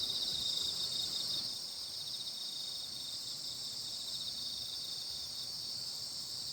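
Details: Full-moon insect chorus on Baekjung night in Korea: a bright, sustained high trilling that is louder for the first second and a half, then settles slightly softer but keeps going unbroken to the end.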